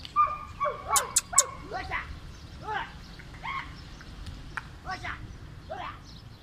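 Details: Kohati Gultair dog giving short, high yelping whimpers that arch downward in pitch, several crowded into the first two seconds, then spaced roughly one per second, over a steady low rumble of background noise.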